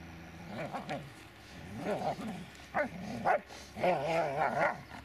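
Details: Dobermann Magmar Von Der Burgstätte giving wavering, moaning whines and grumbles in several short bursts, rising and falling in pitch, with a low background hum.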